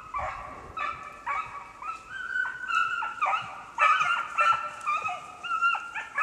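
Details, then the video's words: Two beagles in hot pursuit, baying while tracking snowshoe hare on a hunt in the Allegheny National Forest, northern Pennsylvania, with no snow on the ground; drawn-out, overlapping howling bays with ringing harmonics, repeated in irregular bursts. "BeaglesTracking Snowshoe Hare"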